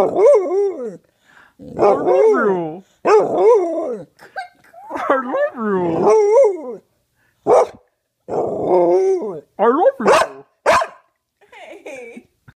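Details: Penny, a dog, rapidly "talks" with many short wavering, yodel-like howled syllables run together in quick bursts, mixed with a few sharp bark-like notes.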